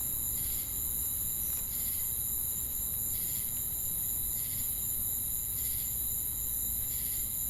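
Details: Chorus of crickets and cicadas: a constant shrill high-pitched drone with rhythmic buzzy pulses recurring about every second, a low steady rumble underneath.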